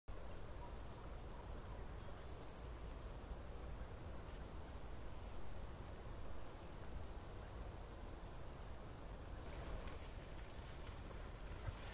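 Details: Only a steady low rumble of wind and outdoor noise is heard, with no clear animal voice. A faint brief rustle comes near the end.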